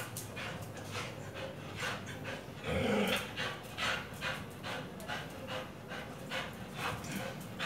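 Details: Pit Bull being trained with a tyre pants in rapid breathy bursts. Midway comes a short, louder, tonal whine-like sound, then steady panting resumes.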